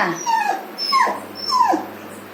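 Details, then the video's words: Pet puppy indoors calling out to warn that someone is coming; three sharp, high yelping whines about every 0.6 seconds, each sliding steeply downward, fairly loud and clear over a faint steady hum. "my puppy calling me some one is coming"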